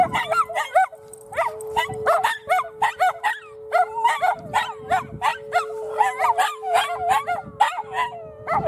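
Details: Miniature Schnauzers Bella and Lilly react to an Oklahoma City tornado siren test at noon on Saturday with rapid, choppy howling yips repeated several times a second, riding above the steady siren drone.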